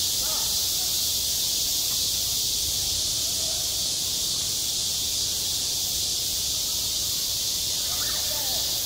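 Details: Cicadas on a school playground in midsummer fill the air with a dense, steady, high-pitched buzzing drone that never lets up.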